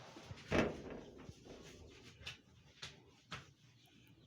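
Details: Scattered thuds and door-like bangs, one loud knock near the start, over a quiet background with no animal calls.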